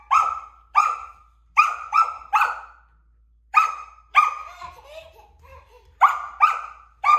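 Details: A Samoyed puppy keeps barking at a stool that a toddler is moving. About a dozen sharp, high barks come in quick bursts, with a short whining trail partway through.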